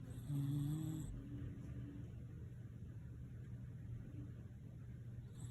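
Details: Shiba Inu named Nene snoring, a soothing sound: one short, low, tonal snore near the start, then a steady low hum for the rest.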